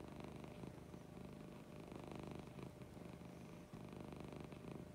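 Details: Lucy, a domestic cat, purring in the morning: a steady low rumble with fine rapid pulsing, continuous through the whole stretch, over faint indoor hiss.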